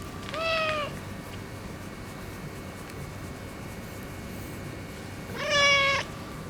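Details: Ginger tabby boss cat, more affectionate after neutering, gives a soft short meow, then after about four seconds of quiet hum a louder arched meow.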